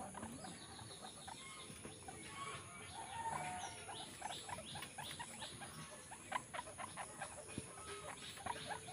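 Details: Young guinea pig nursing from its mother: a busy run of short, bright squeaks, some rising, packed close together and growing denser toward the end, with faint shuffling underneath.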